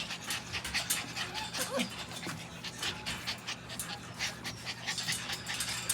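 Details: Puppies panting in quick, breathy bursts, soft noisy puffs repeating rapidly while a woman coos "hello baby" to them nearby.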